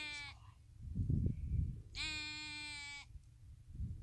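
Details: Lamb on Waiheke Island, New Zealand, out with its mother, bleating: two loud, harmonic bleats, a short one at the start and a longer steady one lasting about a second, with wind and handling noise between.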